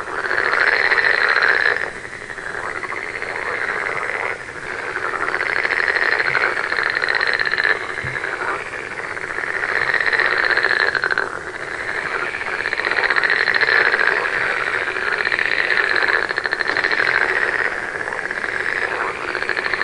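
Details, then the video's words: A chorus of frogs giving steady buzzy, pulsing trills in long bursts, separated by short dips every few seconds before the croaking surges back. "One hour of frog sound"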